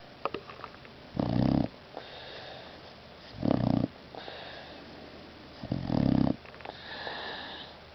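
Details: Boxer mix dog asleep indoors, snoring loudly: three broad, rasping low snores about every two and a half seconds, each lasting roughly half a second, with quieter wheezy breathing in between.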